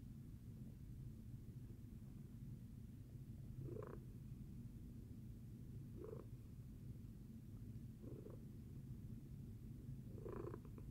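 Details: Tacy the cat after breakfast, purring with a steady low rumble. Breathy bursts at about 3.8, 6.1, 8.2 and 10.4 seconds mark each in-breath, roughly every two seconds, in a quiet room.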